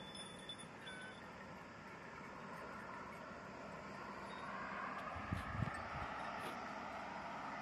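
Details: Steady outdoor rumble of wind or engine noise with a few dull thumps near the end, and no animal voice.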